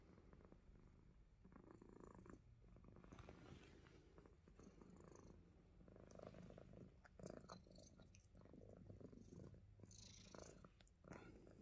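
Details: Himalayan Persian cat biting fingers, purring softly and close: a quiet, low rumbling drone broken by rustling and handling noises from the play.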